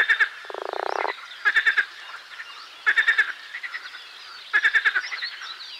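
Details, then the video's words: A marsh frog gives a buzzy, fast-trilled croak, then three spaced bursts of four or five hard rattling pulses. Quieter frog chorus continues underneath. "Песня озерной лягушки Pelophylax ridibundus"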